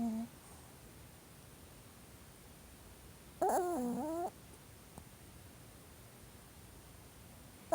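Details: Elderly Pomeranian asleep and twitching as if dreaming, giving a brief wavering whine-like vocalization of under a second with a few quick pitch wobbles, then quiet room noise.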